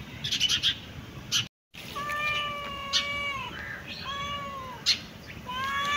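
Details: Domestic cat meowing: a string of drawn-out, tonal meows, each holding steady before sliding downward at the end, with short high chirping clicks before them and again near the close.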